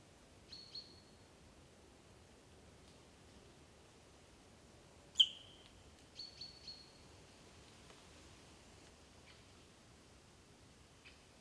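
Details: Sika deer near Dobroplyosy village, Krasny Bor, on 3 October 2015 give short, high, piercing whistles a few seconds apart, one especially sharp and squeaky, reacting to danger and calling to each other over a quiet background hiss.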